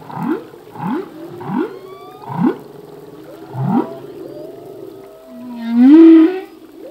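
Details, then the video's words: Humpback whale song phrase, sung by a male at sea: five short upward-sweeping whoops repeat about every seventh-tenths of a second, then a single swelling, rising moan. "Whale song - full length humpback whale song"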